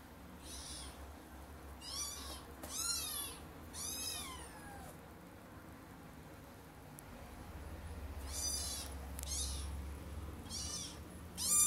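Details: Kitten trying to climb onto a bed gives short, rising-then-falling meows in two clusters, around the second to fourth seconds and again near the end, with a faint low room hum.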